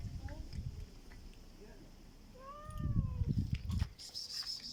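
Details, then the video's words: Black cat with a strange voice: one brief arched meow rising then falling near the middle, with low rumbling and a hiss of noise toward the end. "This black cat makes a strange sound"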